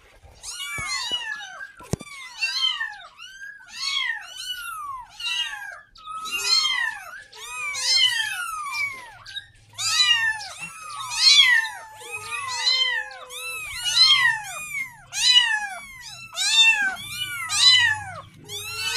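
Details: Persistent meowing of a kitten asking its mother for milk: piercing, arched cries repeated almost every second, stacked and overlapping, with a couple of sharp taps early on and a low hum later.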